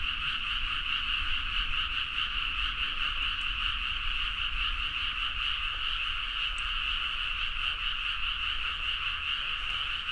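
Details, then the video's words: Midnight frog chorus from rice fields in Nagaoka, Niigata prefecture, Japan, Zoom H4n recording; countless frogs croak rapidly and overlap into a constant buzzing din, with a soft low rumble beneath and no pauses. "The frog sound at mid night (環境,自然音 -深夜のカエル大合唱-)"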